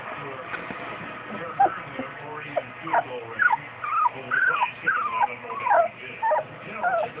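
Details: Two-week-old Newfoundland puppies whimpering: a busy run of thin, wavering whines that rise and fall, often bending upward at the end, coming roughly twice a second with brief gaps between them.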